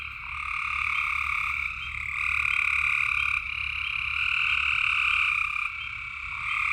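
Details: Night frog chorus in Tennessee: many frogs trilling together in a constant high, buzzy wash with a lower second layer, loudness rising and falling gently every second or two, no other animals heard.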